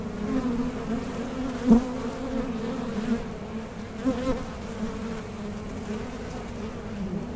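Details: Steady droning of honey bees around a Mason jar honey super in a beekeeping setup, with a few louder buzzes from individual bees flying close past, including one sharp burst near the start.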